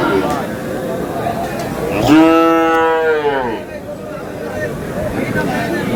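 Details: At a Bangladeshi cattle market on 5 May, where a Kurigram farmer purchases a Sahiwal bull, a single strong moo rises then sags and fades over about a second and a half over background voices.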